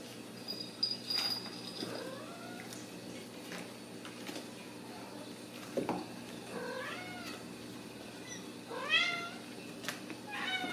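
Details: Ragdoll kittens raised in a home cattery in central Kansas, kept without cages, giving several high, thin rising-then-falling meows spread across the stretch, with faint clicks and household hum in the background.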